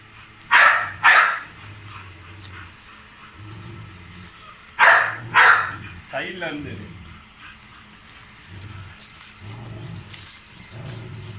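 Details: Male Rottweiler Hummer at feeding and exercise time barks twice, pauses several seconds, then barks twice again; a person's voice and a passing vehicle's low rumble follow.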